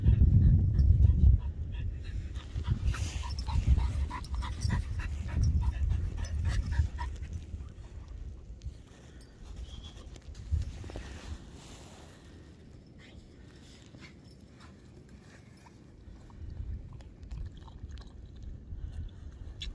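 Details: Pet whippets and cockerpoos running free on a beach, waiting for a ball: quick rhythmic panting, about four breaths a second, over heavy wind buffeting, with a few faint higher squeaks in the middle.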